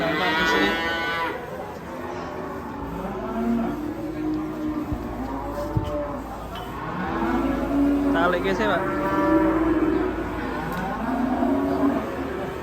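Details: Raging cattle moo repeatedly: long harmonic bellows, some bending upward then sliding down, follow one another every few seconds against a noisy low hum.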